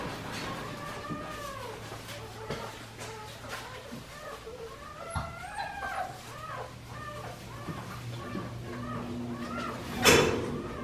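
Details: Five-week-old Australian Shepherd puppies from Priscilla's litter at Fifteen Acre Farms in Oklahoma, several voices overlapping in high arched whines and squeals, rising then falling, with a low steady hum underneath and a sharp knock near the end.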